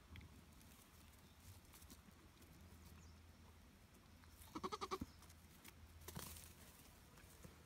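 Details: Nigerian Dwarf goat kid, two days old, one of three born to the doe Charlotte at Deep Canyon Farm: a single short, quavering, pulsed bleat near the five-second mark over a steady low hum and background rustling.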